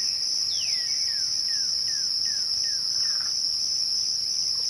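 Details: Crickets at twilight make a steady, unbroken high-pitched trill throughout. A series of about six descending whistled sweeps from another caller runs over it in the first half.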